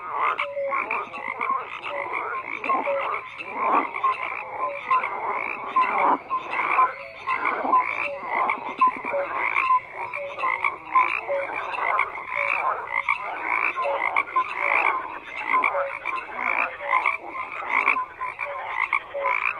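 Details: Frogs in large numbers keep up a continuous croaking chorus, raspy calls layered over one another with quick repeated tonal notes, steady for the whole stretch.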